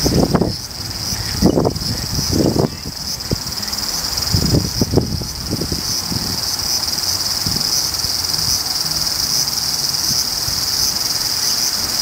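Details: Large brown cicada (Graptopsaltria nigrofuscata), a woodland insect active July to September, whose call is likened to hot oil spattering. A steady high sizzling hiss runs throughout, with low thumps and rustling bursts in the first half.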